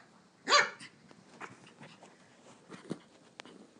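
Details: Lily, a pet Toy Poodle indoors, grunts like a pig while running circles around a coffee table: one short, harsh, rasping burst near the start, followed by soft pattering of paws and faint room noise.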